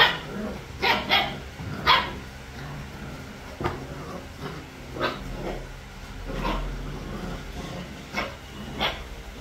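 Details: Playing puppies, three weeks old, let out scattered high yapping barks, several early on and a couple near the end, over a low background hum with faint voices.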